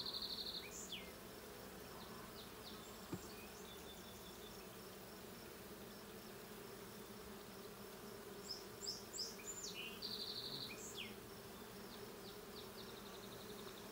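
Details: Honey bee colony in a blue hive, checked on 20 June 2022. A constant low hum carries throughout while a songbird sings two bursts of high, rapid chirps and trills, one at the start and one around the tenth second.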